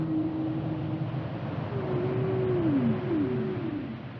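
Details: Whale song: a long, low, steady moan that later swells into a higher tone and bends slowly downward, followed by a second short falling sweep, over a constant low rumbling background.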